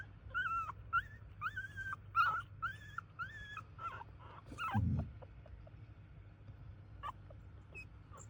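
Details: Chihuahua from a large home family of Chihuahuas gives a run of thin, high whimpering whines. Each whine rises then falls and repeats about every half second for five seconds, then grows sparse and quiet, with a faint low rumble underneath.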